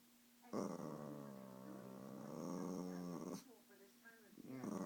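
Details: Pet Shih Tzu Popo performing his chainsaw growl, a loud rasping growl of nearly three seconds that swells and ends abruptly, followed by quieter speech-like sounds and a brief renewed growl.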